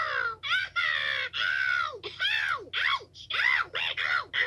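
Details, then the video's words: Toad recorded 2/10/2022 letting out loud screams: a rapid string of harmonic wails, each under a second, arching up and dropping in pitch, separated by short silences; steady low hum underneath. "Toad Screaming"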